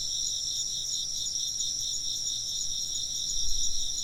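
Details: Insects chirping in an ambient recording with occasional wind chimes; a continuous shrill, finely pulsed chorus of overlapping high trills holds steady, with a low rumble rising briefly near the end.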